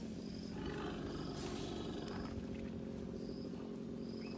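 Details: Raekie, a young female orphaned elephant at Camp Jabulani, at bottle feeding time with her carer; a rough, broad rumbling burst rises mid-clip over a steady low hum, with repeated short high chirps in the background.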